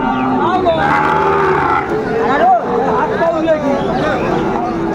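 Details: Sahiwal cattle at a busy cattle market in Tangail, Bangladesh, where bull calves are being bought; a few short, wavering moos rise over dense crowd chatter and background music.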